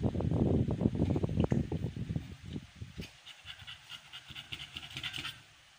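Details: Fast, heavy panting from Amber, an American Bully in labor on day 56 of her first pregnancy. The loud breathy pulses dominate the opening seconds, then soften to lighter, quicker breaths before fading out.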